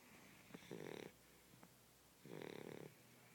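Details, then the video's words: Small blue Shar Pei dog asleep and snoring, two drawn-out rattling snores roughly 1.7 seconds apart with faint clicks and soft breaths in between, in a quiet room. "Blue Shar pei snoring"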